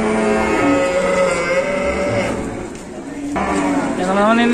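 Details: Banteng cattle unloaded from a truck at Pasar Pon Ambarawa livestock market, Indonesia, low drawn-out lowing with wavering tones, set against a busy hum of market crowd and voices.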